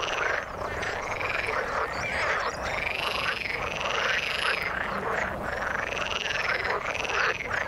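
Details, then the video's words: Frogs in the water calling in a dense chorus, with arching, wavering trills repeating roughly every second over a bed of rapid croaks. "Frog sound in the water"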